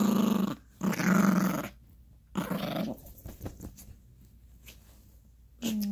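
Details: Yorkshire Terrier puppy growling while play fighting with its owner and a dog toy on a bed indoors; low rumbling growls in three short bursts, then a quieter stretch of faint rustling and a brief rising squeal at the end.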